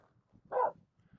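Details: Finnish Spitz named Aamu barking at two reindeer walking close while crossing a snow pack on the climb up Mulen; one short, sharp bark amid quiet background rustle.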